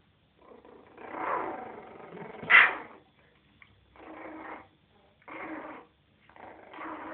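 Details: Jack Russell Terrier puppies, three and a half weeks old, playing together in their bed: rough, buzzy growling bursts in several spaced bouts, with one sharp, higher yelp in the middle and short gaps of quiet between.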